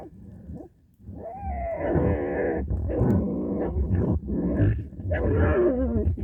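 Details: Fighting badger snarling and growling in long harsh, rasping bouts with a rising whine at the start and a short break midway; the noisy scuffle continues almost without pause.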